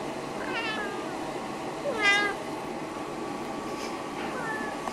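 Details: Snowshoe cats Nevada and Noodles, pets, vocalising to greet, ask for a fuss, food or a walk; a short rising meow, then a louder harmonic-rich meow near two seconds and a faint final call, over steady indoor background noise.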